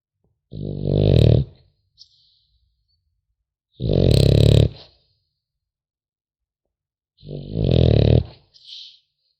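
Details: Puppy of the French Bulldog breed sleeping and snoring: three coarse, grumbling low snores about three seconds apart, the last trailing into a short nasal wheeze, in a quiet room.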